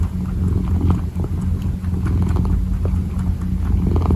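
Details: Kitten purring while kneading: a steady, low, buzzing rumble that runs without a break through the whole short stretch, with faint soft rustles over it.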